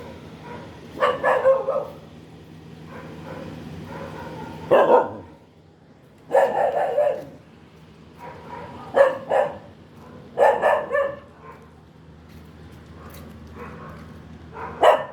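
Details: Dog barking irregularly, single barks and short doubled barks scattered across fifteen seconds with a steady low mechanical hum underneath.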